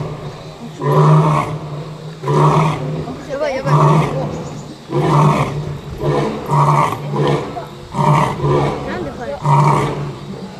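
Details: A lion gives a series of deep, grunting roars, each about a second apart.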